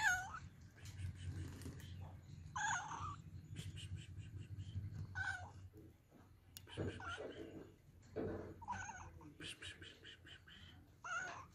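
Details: Kittens or cats meowing, about six clear drawn-out meows, some rising then falling, spaced irregularly across the stretch over a steady low hum in the background.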